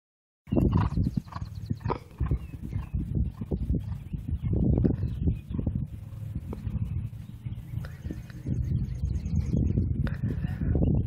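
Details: Thoroughbred race horse working a half mile on a training track at a training center, a training workout: after a brief silence, rapid heavy drumming hoofbeats thud continuously in a fast galloping rhythm, with faint higher scraping sounds.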